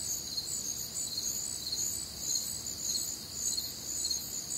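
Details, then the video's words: Night-time crickets calling on a humid summer evening in the American Midwest; rapid high-pitched pulsing chirps from many insects blend into a continuous shimmering trill, with soft background hum. "Night Time Cricket Sounds"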